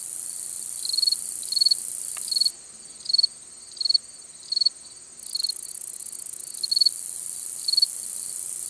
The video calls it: Long-spurred Meadow Katydid Song ID